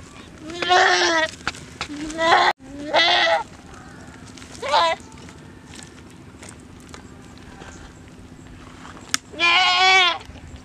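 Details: Goat attacked alive by a Komodo dragon in the hills of Komodo village, Komodo National Park, giving loud wavering bleats in four bursts, with a low steady hum and faint background noise between.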